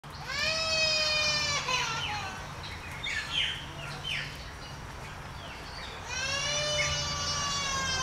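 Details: A male hamadryas baboon with a cape, at Alma Park Zoo in Brisbane, Australia, gives drawn-out, shrill, slightly falling screams with harsher chatter between them.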